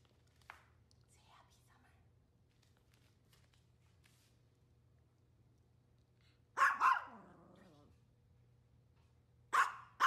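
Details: Maltese on a hot summer day indoors: a long quiet stretch with faint talking, then one loud double bark followed by another sharp bark near the end.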